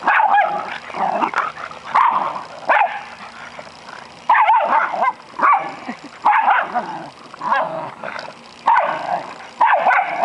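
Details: An American Eskimo, a Schnauzer and a Boston Terrier play together, giving steady rough barks, yips and whining growls in rapid bursts about every second. The excited calls overlap throughout.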